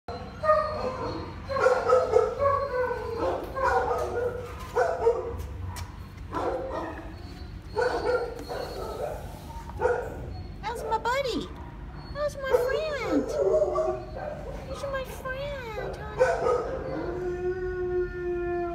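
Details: Humphrey, a five-year-old toffee-coloured 50-pound English Bulldog who survived wounds, gives whiny, pitch-sliding yips and whimpers in uneven bursts, mixed with a person talking softly throughout.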